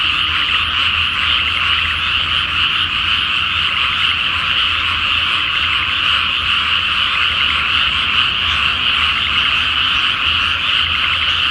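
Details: Frogs croak together at night in a flooded rice paddy before planting, on a full Flower Moon night. Loud, pulsing, overlapping croaks form a continuous throbbing chorus, with a low hum below.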